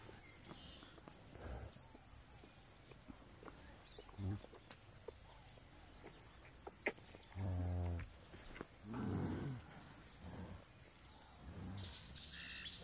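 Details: One-month-old calves on a farm in rural El Salvador; one gives a single low, drawn-out moo lasting under a second, with scattered rustling, shorter low sounds and nearby human voices.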